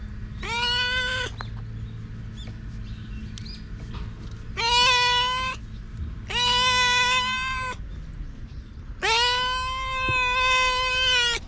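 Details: Four long, harmonic, level-pitched cries from stray cats, the last stretching nearly two and a half seconds, with short gaps between them and a steady low hum underneath.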